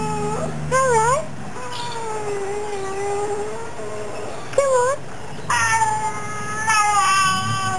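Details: Female Fox Terrier cross, about 9-10 years old, vocalises to her owner indoors. Short rising-falling yelps are followed by a long steady howling whine, with sharp broadband yaps near the end and a low car-engine rumble behind.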